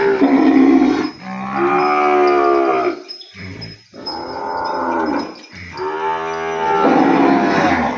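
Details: Weaned calf separated from its mother, calling loudly across the pen: three long, hoarse moos in succession, each with strong stacked harmonics and short breaths between, with other cattle sounds faint behind.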